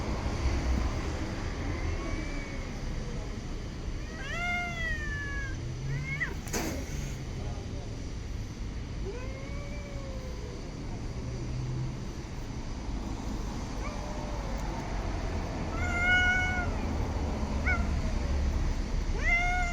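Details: Street cats calling: around eight meows, some short and rising, others arched and falling, clustered near the start and again toward the end, with a sharp click midway and a continuous low urban rumble beneath.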